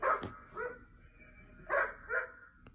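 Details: Dog barks played from a laptop while a curious mini goldendoodle listens indoors; four sharp, harmonic barks come in two pairs, about 0.6 seconds apart within each pair, with a quiet pause between the pairs.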